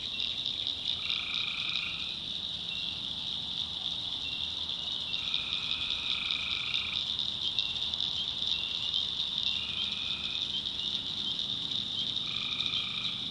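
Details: Tree frogs calling at night in a North Carolina backwoods swamp: a dense, continuous high trill holds steady, while a second caller breaks in with short paired notes lasting about a second, repeated every few seconds.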